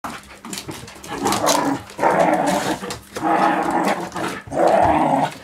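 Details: Smooth fox terriers Amadeus, two years old, and five-month-old Gertrude play on their fourth day together, with a pit bull named Indy, seven and a half, also present; rough growling comes in three sustained bursts separated by short pauses.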